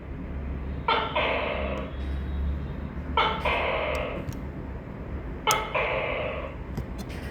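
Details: Tokay gecko calling: three loud two-part calls spaced about 2.3 seconds apart, each a sharp clicking onset followed by a harsh, drawn-out nasal syllable, over a steady low background hum.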